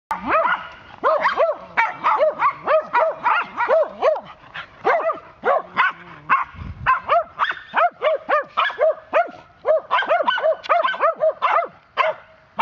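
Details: Three excited Swedish Vallhunds, some standing up on a fence, bark at a neighbour's cat a few hundred feet away: a rapid, nonstop run of overlapping high yapping barks, several per second, from the alert dogs.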